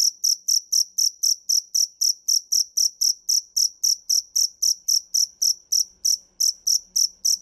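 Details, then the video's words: High, metallic cricket chirps, the dế mèn, in a brisk regular train of about four per second, with a faint low hum entering toward the end. "Tiếng dế mèn hay nhất 2017 - The crickets - Cricket"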